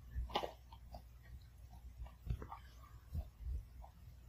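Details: A Pomeranian eating kibble one piece at a time, chewing each thoroughly, with soft crunching clicks and low mouth sounds in a quiet room.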